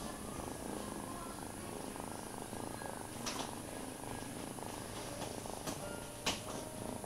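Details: Steady low rumbling purr from a cat held and cuddling while a foster kitten nuzzles a male kitten's belly, searching for a nipple to nurse; continuous throughout with faint rustling and handling noise.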